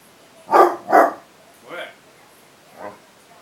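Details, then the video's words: Basset hound barking while confronting cats: two loud, sharp barks in quick succession about half a second apart, followed by two softer, shorter barks spaced roughly a second apart. "basset hound --- vs cats!"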